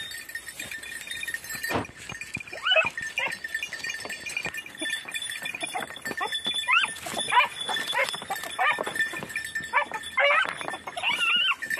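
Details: Red-blue tick and lemon-white Beagles on Crete, in 2021 hare practice, give high, yelping barks in quick bursts while trailing a hare.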